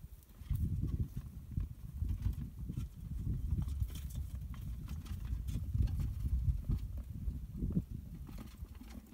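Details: Banner-tailed kangaroo rat producing a long, nearly continuous run of deep rapid thuds lasting about nine seconds, dense and muffled, with slight swells in loudness and no other clear sounds.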